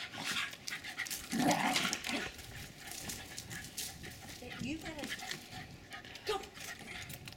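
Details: Jack Russell Terriers Jasper and Jaclyn, about four and a half years old, play fighting and running in Lenexa, Kansas, on 16 January 2012. Quick breathy panting bursts with a short growly whine, scuffling noise and a human voice.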